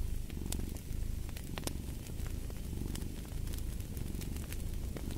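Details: A cat purring steadily in a low, continuous rumble, mixed with the sharp pops and crackles of a fireplace burning throughout.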